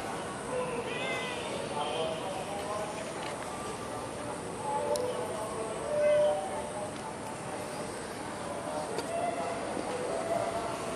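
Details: Cat roaming outdoors in Singapore, giving a few short harmonic meows spread through the clip, one louder near the middle, over a steady hiss of background noise with faint voices.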